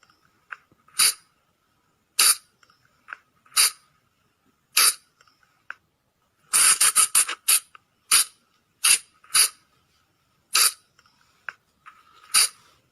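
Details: Sunda flying lemur lure call for attracting the animal after dark: scattered shrill, rasping squeaks, a rapid stuttering burst around seven seconds, then evenly spaced single notes. Background is quiet.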